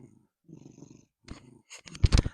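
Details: Domestic cat purring up close at a microphone: low, rough rumbling pulses in two short bouts, then a louder burst of handling noise and clatter near the end.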